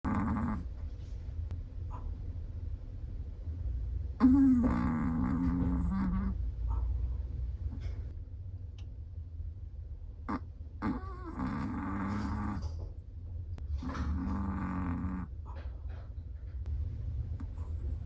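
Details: Sleeping Chihuahua snoring: three raspy, buzzing snore bursts with a low tonal hum, near 4, 11 and 14 seconds, separated by quieter breathing over a steady low background rumble.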